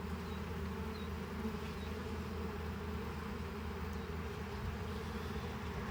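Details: Honey bees humming steadily at a hive being harvested while frames are loosened; a dense, low, continuous drone fills the whole stretch, with faint high chirps of distant birds.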